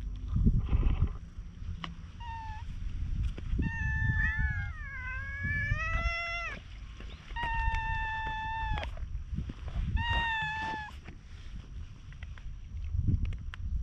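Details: Stray cats on a Japanese cat island being brushed, another cat drawing near; several drawn-out harmonic meows, one long wavering and sliding, others level and falling, spaced a few seconds apart over low rumbling handling noise.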